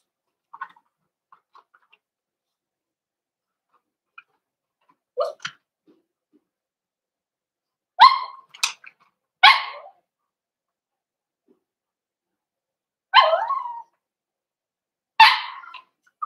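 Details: Cavalier King Charles Spaniel puppies in a home puppy pen while several bigger adult dogs are brought in for socialization: a soft short call, then sharp, loud barks in clusters at irregular gaps of one to four seconds, with quiet pauses between.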